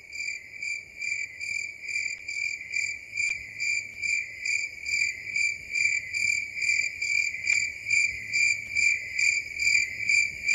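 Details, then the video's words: In the dark night forest, crickets keep up a high, ringing trill that throbs at an even pace of a little over two pulses per second, with a couple of faint clicks. "Incredible Cricket sounds at night"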